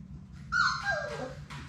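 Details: Labrador Retriever puppies from Sadie's litter of six, playing together in their indoor puppy play room; one pup gives a single whine that starts high and slides steadily downward over about a second, over a steady low room hum.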